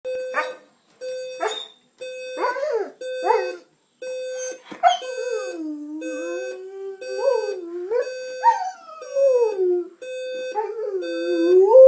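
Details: A dog named Junior howls along with a beeping alarm clock to wake his owner: rapid on-off electronic beeps at first, then wavering, sliding howls that rise and fall over the steady alarm tone.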